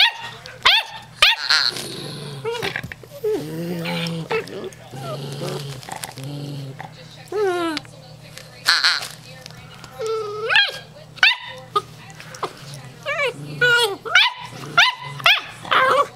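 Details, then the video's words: Female German Shorthaired Pointer puppy Stormy, 8 weeks old, with her first barks: scattered high, thin yaps and squeaky yelps mixed closely with frequent human speech and laughter. "Stromy's First Bark"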